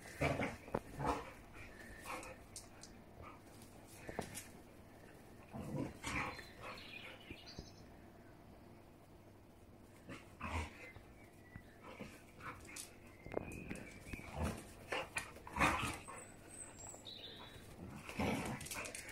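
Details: Mother and daughter Siberian Huskies at play, trading scattered short yips, whines and low grumbles, some high squeaky toy-like whistles, separated by quiet stretches and scuffling sounds.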